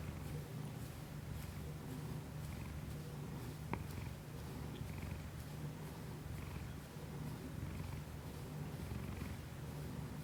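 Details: Steady deep rumbling purr from the house cat Kiku-chan, captured with a Shure MV88 external microphone on an iPhone. Gentle breathy swells return roughly every one to two seconds, with one brief tick near four seconds.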